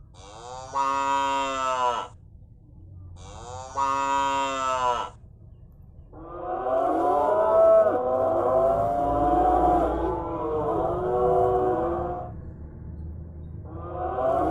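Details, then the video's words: Cow mooing: two short harmonic moos about a second each, then a long, wavering, overlapping bellow lasting six seconds, another moo starting at the end; low steady hum underneath. "Cow sounds"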